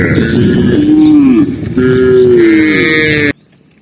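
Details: Two short lowing moos from a tame cow being herded in the afternoon amid mountain scenery, each a steady mid-low tone with a slight downward bend, then sudden quiet.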